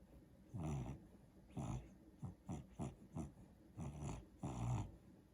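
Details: Daisy, a pet dog, asleep in the back of the couch and dreaming, gives repeated low rumbling snores with breathy noise, several short snorts in quick succession midway, then longer growl-like snores.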